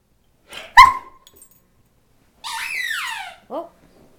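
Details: Fagan, a frisky 14-month-old male Irish Setter, playing indoors with a water bottle in cold weather: one sharp, loud bark, a pause, then a long whine sliding downward, ending with a brief low yelp.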